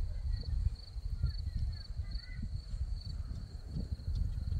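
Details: Numerous crickets calling among red poppies in Crimea, a high pulsed chirp repeated at a brisk even rate, with faint higher chirps from another caller and constant deep wind rumble.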